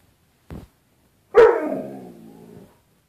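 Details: Pet dog reacting to its reflection in a closet door's glass as if to another dog: a soft short huff, then one strong bark that trails into a drawn-out, wavering howl-like moan lasting over a second.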